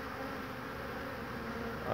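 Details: Honey bees humming around an old wooden hive knocked together from boards, a very strong colony, 22 March 2019 in spring; a steady, even buzzing drone runs throughout, with brief Polish talk nearby.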